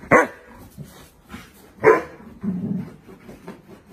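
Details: Alaskan Malamute barking: two loud, short barks about 1.7 seconds apart, followed by lower grumbling sounds, with a person speaking Vietnamese nearby.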